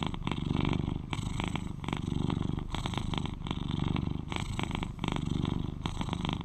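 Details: Eleven-year-old male British Shorthair cat, the loudest purrer of its household, purring steadily: a deep rumbling drone with rhythmic swells about every 1.7 seconds as it breathes in and out.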